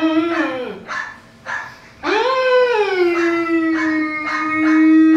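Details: A Newfoundland dog howls: a short wavering opening note that dips, a few breathy gaps, then a long rising-and-settling howl held steady to the end, rich in harmonics.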